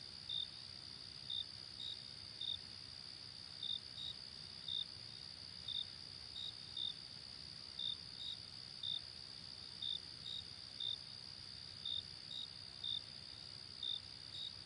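Crickets chirp at night: short high pulses about once a second over a steady, ringing trill.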